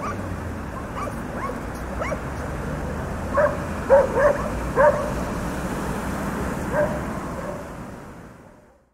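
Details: Dogs barking, more distant: a few faint yips early on, then a cluster of four louder barks around the middle and one later bark, over a broad hiss that fades out at the end.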